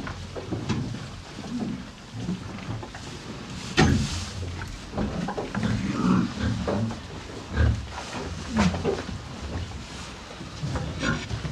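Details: Two cows on a farm munching hay: continuous low crunching and rustling with irregular louder bites, soft nasal breaths, and dry hay crackling throughout.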